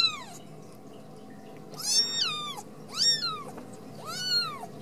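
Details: Kitten meows from a home Ragdoll cattery in central Kansas: four clear, tonal, arching mews about a second apart, each climbing then sliding down, with a faint room hum beneath.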